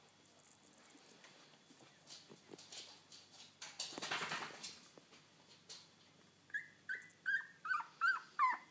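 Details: Ten-day-old Labrador Retriever puppies indoors at bedtime; after soft rustling, a run of six high, thin squeaks and whimpers arrives in quick succession, each short and slightly falling, about three per second.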